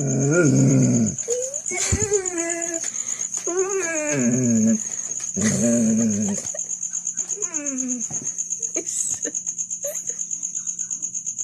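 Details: A Golden Retriever that wants to go for a walk, giving high, rising and falling whines and yelps in short bursts indoors, with a person's voice early on and a steady high electronic tone throughout.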